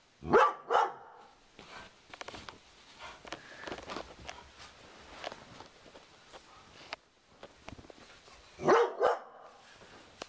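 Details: Sugar Tree, a Doberman indoors, barks at a cow skull hung on the living-room wall, trying to protect her owner. Two loud, sharp barks, one at the start and one near the end, with quieter rustling and small knocks between.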